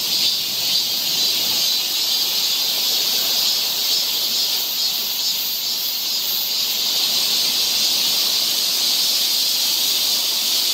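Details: Steady high shrilling of cicadas fills a summer forest trail in Seoul, Korea, an unbroken hissing buzz with a thin ringing tone above it and only slight swells in loudness.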